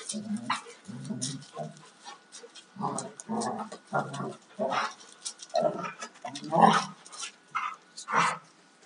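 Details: During rough play between a 2-year-old male and a 4.5-year-old female Alaskan Malamute, low growly grumbles repeat roughly every half second to second, mixed with sharper higher yelps and scuffling.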